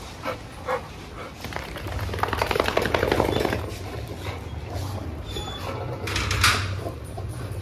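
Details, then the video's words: Dog at a behaviour training school and dog hostel in Jodhpur, India. A few short, sharp barks near the start and a louder burst near the end, with a trainer's voice and general background noise in between. "Dog training school"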